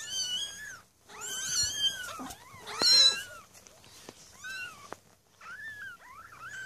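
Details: A litter of six newborn Maine Coon kittens (Felis catus), born 8 May 2015 at a cattery, mew in thin, high-pitched cries that rise and fall, several voices overlapping.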